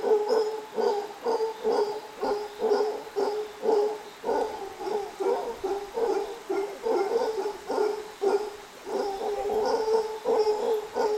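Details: Howler monkeys playing in a creek below a subdivision in Nuario, Panama give deep, hoarse grunting calls in a steady pulsing series.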